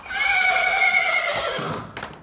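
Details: Stallion whinny at a stud where stallions are kept for frozen-semen production, recorded 25 August 2024 among Akhal-Teke, Friesian and Arabian stallions: a loud, high harmonic cry held about a second, then sliding down and fading, with faint rustling after.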